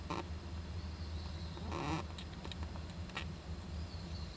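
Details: Japanese giant flying squirrel youngster in an owl nest box, 19 July 2010: one harsh, noisy squeal near the two-second mark, a few soft clicks before and after, constant low droning hum underneath.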